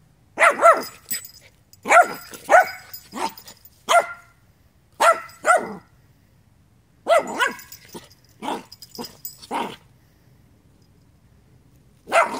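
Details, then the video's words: Dog barking in clustered bursts of sharp, harmonic-rich barks, two to four at a time, with short silent gaps between groups over about twelve seconds; a final single bark at the end, no other sounds. "discovering barking and water"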